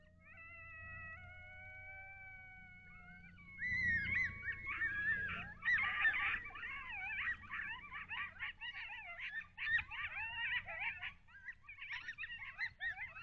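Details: Wild coyotes caught on a wildlife cam near Lake Alan Henry, Texas, in the early morning of 18 August 2021: long steady harmonic howls first, then a chaotic chorus of overlapping yips, yelps and wavering squeals from several animals, with a faint low hum beneath.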